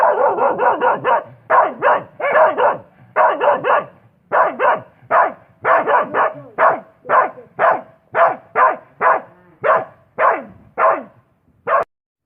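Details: Steady run of dog barks, roughly two per second for twelve seconds, each a short rough bark, with about two dozen in the sequence and no other sounds.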